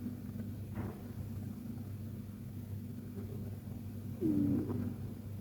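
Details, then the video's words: A fluffy Persian cat, KTO, snoring gently in deep sleep: a soft, low, continuous rumble that briefly grows louder near the end, with a faint, short, high squeak. "Persian Cat Snoring Like a Baby!"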